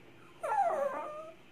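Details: Pet male Toy Poodle replying to his owner, asking to be carried downstairs so he can pee: one drawn-out, nasal whine lasting about a second, sliding downward with rich overtones, in a quiet room.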